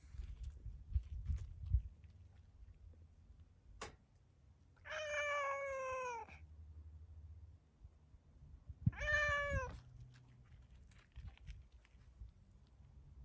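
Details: Two long, loud meows, about four seconds apart, from a startled stray tuxedo cat with black-and-white markings calling at the camera after being petted; each is steady and then falls away, with a sharp click and low rumbling between them.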